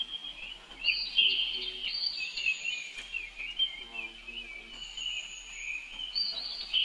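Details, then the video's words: Young male monkey calling for help while his sister races off; piercing tonal squeals that waver up and down, with faint lower chatter in the background. "Her Young Bro Call Helping it"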